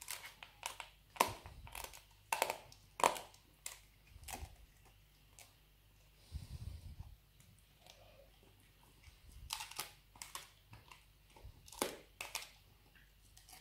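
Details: A pet Labrador named Nero chewing dried beef rawhide indoors; repeated crisp cracks and crunches come every second or so, with brief pauses of softer gnawing between the bursts.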